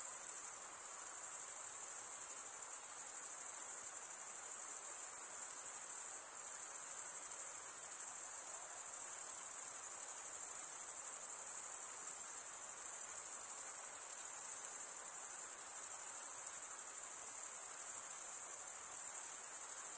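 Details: Twenty seconds of steady cricket stridulation: a sustained, piercing high trill, rapidly pulsed and nearly constant in volume, one short flicker near six seconds, no background noises.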